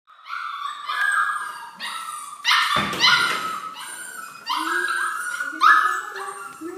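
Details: Eight-week-old Golden Retriever puppy being microchipped before leaving for a new home: high, harmonic yelps and whines, several sliding upward or wavering, in repeated cries about every second, with one brief rustling thump midway.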